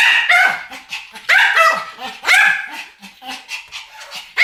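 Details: Pomeranians duet barking: sharp, high yapping barks in quick bursts, two or three closely spaced, with shorter yips between and brief gaps of quiet.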